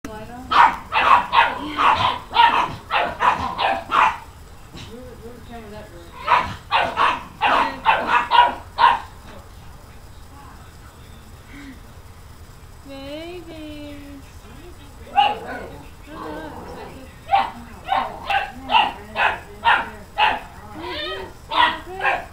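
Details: Pet dogs barking at a newly arrived puppy: loud, sharp barks in rapid bursts of six to eight, separated by short pauses, with a brief high whine in the middle quiet stretch.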